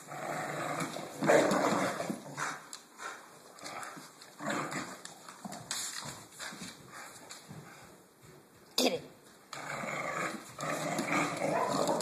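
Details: American Bulldog named Blue at play, making rasping growls and short grunting bursts in irregular clusters, with a sharp bark-like burst near the end and some human voice mixed in.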